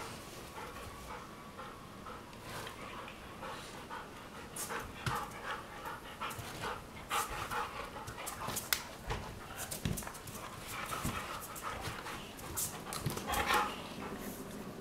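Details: Morning play fight between Weimaraner sisters Jila and Faith from Cyprus on their bed: steady, breathy panting bursts and scuffling throughout, with a brief tonal whine near the end.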